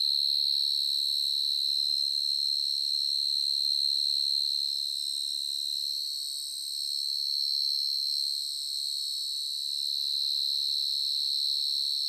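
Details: In the evening in a garden, a burrowing cricket that comes out of its ground hole at night sings a loud, steady, high, ringing trill that pulses rapidly and never pauses.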